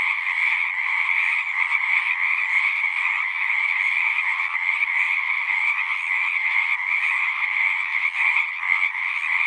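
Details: Singing frogs heard as a natural nighttime-style chorus: continuous rasping croaks from many callers blending into a steady drone, slight flickers of individual pulses, nothing else audible.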